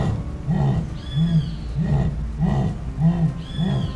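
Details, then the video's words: Jaguar, the largest cat in the Americas, whose voice is described as very frightening: a rapid series of deep, hoarse, arching grunts repeated about twice a second, with a thin high whistle heard twice in the background. "O Som Da Onça Pintada"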